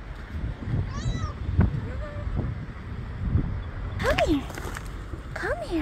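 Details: Hungry stray cats by the Portuguese seaside, cared for by a local rescue group and given dry food and treats, mew softly at first, then let out two loud wavering meows near the end, with wind and talking around them.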